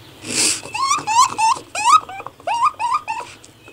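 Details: Raccoon giving a series of short, rising, nasal chirps and trills, about seven quick squeaky calls in bursts with brief gaps, after an opening breathy sniff, in a quiet indoor setting.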